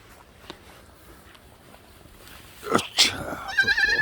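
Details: A black goat on a goat farm in Gimhae, South Korea, on a Saturday. After quiet background and a couple of knocks, it gives a short, quavering, nasal bleat at the end.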